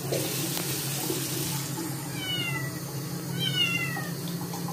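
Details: Scottish kitten objecting to a second bath after dirtying its paws; two thin falling meows in the second half, partly masked by loud running water from a tap.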